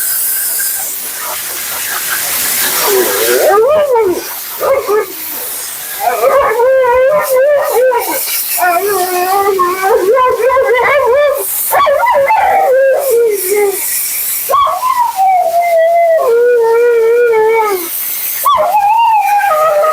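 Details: Mila the talkative Siberian Husky keeps up nonstop commentary during her bath and blowout: a long series of wobbling, rising and falling howls and whines, some choppy and yodelled, over a steady roar of drying air.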